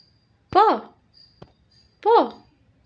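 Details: Domestic cat giving two loud, drawn-out meows, each rising then falling in pitch, spaced about one and a half seconds apart, with a faint click between them over an otherwise quiet background.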